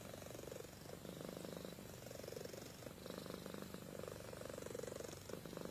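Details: Sleeping house cat Amy purring and snoring, a continuous soft rattling throb that ebbs and swells with each breath, even and unbroken throughout, no other sounds apart from faint room noise.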